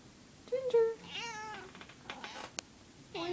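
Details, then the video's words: Female house cat, possibly in heat and sounding unusual, gives a short rising-then-falling meow followed by wavering, harmonic-rich cries; a woman's voice speaks around the calls. "Weird noise cat"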